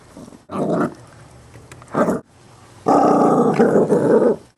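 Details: Chihuahua mix growling over a bone he will not give up, all bluster and no bite; two short growl bursts followed by a longer, louder rumbling growl.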